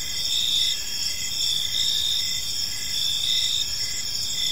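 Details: Evening in a peaceful park with crickets chirping: continuous high-pitched trills layered over one another, gently pulsing louder and softer, with a soft low rumble underneath.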